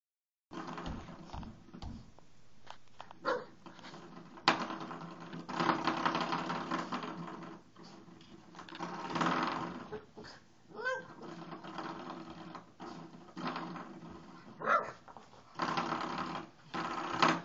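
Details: Six-month-old pug playing with a spring doorstop on the wall, batting the spring around and growling at it; low rough growls mixed with loud twanging, rattling bursts from the spring and scuffling noise throughout.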